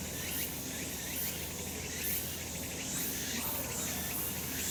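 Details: Summer mountain in sunshine, cicadas singing: a continuous bright shrill wash of sound with repeated rising buzzy sweeps roughly once a second, steady and unbroken throughout.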